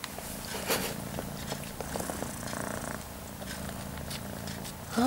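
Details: Domestic cat purring indoors while an almost five-month-old kitten nurses milk from the mother cat; a low continuous rumbling purr with soft smacking and small clicks, a woman's voice faintly in the background.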